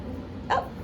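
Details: Seven-week-old puppy in a litter from a dog named Phoebe, playing with rope toys indoors, gives one short, sharp, high yip with bright harmonics, about a tenth of a second long, against a quiet room hum.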